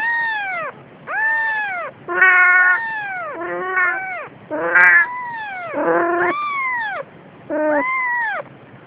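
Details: Siamese cat, a mother carrying her days-old kitten; a run of about eight loud, arched, harmonic meows that rise then fall, each roughly half a second long and spaced irregularly, in a quiet indoor setting.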